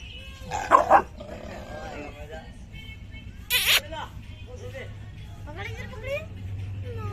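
A pit bull gives a couple of loud, harsh barks amid people talking.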